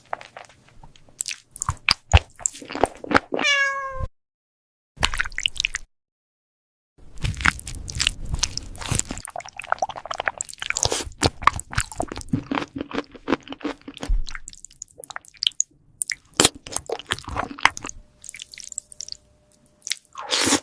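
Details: Cat munching food: bursts of crunchy clicks and chewing noises fill most of the stretch, broken by one clear meow early on and a couple of short silent gaps.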